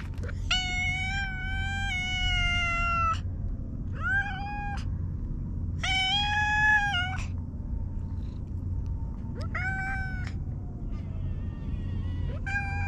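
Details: Hige Danshaku, a park stray cat with mustache-like nose markings, gives long drawn-out meows lasting up to two seconds, alternating with shorter rising calls, over a constant low rumble.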